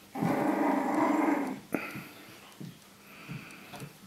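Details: Three-week-old puppies indoors, one giving a steady, low buzzy growl-whine for about a second and a half, followed by a sharp click and a few faint soft grunts in a quiet room.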